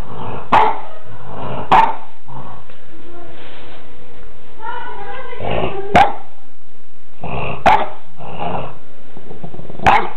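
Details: A French Bulldog, which fears black balloons, confronts a balloon in Portici, giving short, sharp barks with low growling in between while a person talks briefly.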